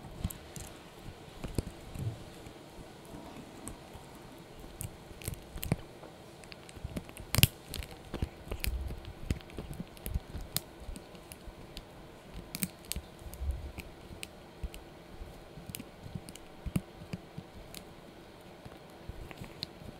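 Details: A Yorkshire Terrier puppy named Blue gnaws a dried bunny ear, producing a steady stream of crisp crunches and wet chewing clicks throughout, with one especially loud snap early on, in a quiet small room.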